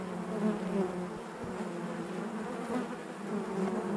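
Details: Honey bees humming inside their hive, a steady low drone with layered overtones and gentle swells in loudness, no other sounds present.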